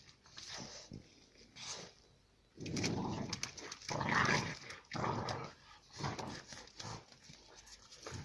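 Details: Two female Central Asian shepherd dog puppies, bred from Tajikistan flock guardians, fighting to settle rank; bursts of harsh snarling growls about once a second, with scuffling and a human voice in the background.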